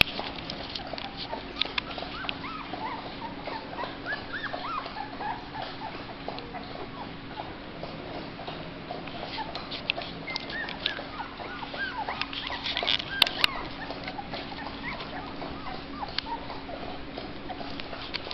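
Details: Black Labrador Retriever puppies, a litter slightly over two weeks old that recently began eating mush and are thought to be hungry, give thin high whimpers and squeaks scattered throughout over a steady low hum.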